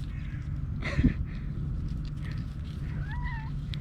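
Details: Cat living with her young kittens, about four weeks old, inside a tree outdoors; one short meow near the end, rising then falling, follows a brief thump, over a steady low rumble and a quiet voice.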